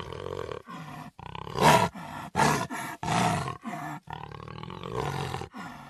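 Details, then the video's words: Jaguar roar heard as a run of rough, rasping grunts, about eight pulses in six seconds, each a harsh broadband burst separated by brief pauses, louder in the middle of the series. "Jaguar Roaring"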